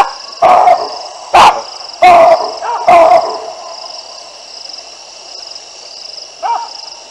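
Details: Wild baboons at the Olifants River, 9 December 2022, reacting to two lionesses passing under their trees: four loud, hoarse barks roughly one second apart, a fainter bark later, over continuous high insect buzzing.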